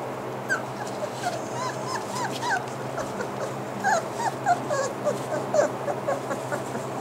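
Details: Bernese Mountain Dog puppies, five to six weeks old, at play: a run of high, short whimpers and yips in quick irregular bursts, growing louder and denser after the fourth second, over a steady low indoor hum.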